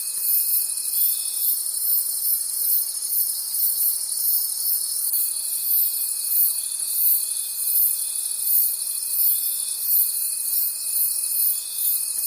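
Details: At night in the forest, crickets keep up a relentless shrill trill, pulsing roughly three times per second, while a separate steady pure tone stops and later resumes.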